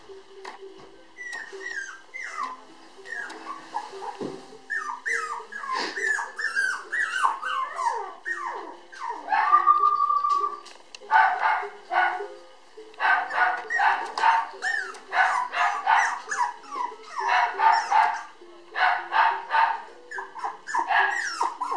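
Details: Female red Toy Poodle puppy weighing 758 g, born January 30, energetic and people-loving: thin falling whines and squeaks at first, then denser bursts of short sharp yelps repeating several times a second.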